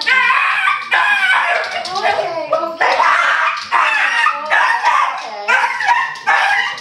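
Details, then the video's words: Indoors, a four-year-old pet dog crossed from Border Terrier and Boston Terrier sings with excitement at news of a cottage trip: repeated loud wavering howls in bursts about a second apart, with speech in between. "Singing Dog"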